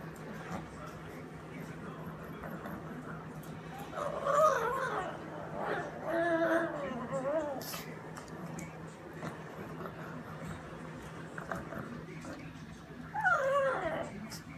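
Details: Pet pug Bambi whines as she eats: wobbling, high nasal whines around 4–7 seconds, then another near 13 seconds, with steady tonal squeaks, chewing noises and a quiet room behind.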